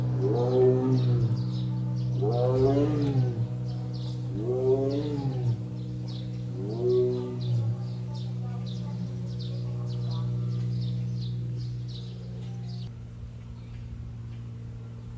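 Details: Captive male Siberian tiger born 2013 at Seoul Grand Park zoo, South Korea, recorded 22 June; four deep arching roars about two seconds apart over a steady low mechanical hum, then only the hum with faint high chirps.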